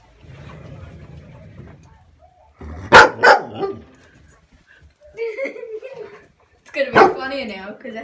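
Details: A female standard poodle barking at her own reflection in a mirror lets out short, explosive barks, one close pair and a single bark a few seconds later, while a woman talks and coaxes excitedly between barks.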